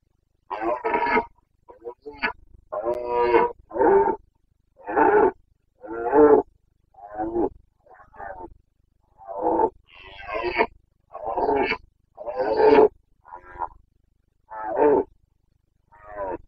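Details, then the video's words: Rutting Carpathian stag roaring (boncănit) in the Bucovina mountains during the mid-September to mid-October breeding season: a long run of about sixteen rough, throaty bellows, roughly one each second, uneven in length and loudness. "Boncănit / Carpathian stag Breeding season"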